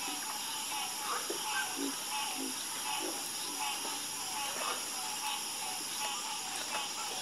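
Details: Many frogs calling together at night, uneven short croaks about once a second at low and middle pitches, set against a dense, unbroken high-pitched buzzing hum.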